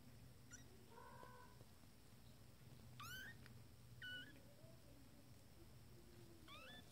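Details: First-litter kittens, 20 days old, discovering their playpen indoors; several thin, high-pitched mews, some rising and some flat and drawn out, spaced about a second apart, with soft rustling and a steady room hum beneath.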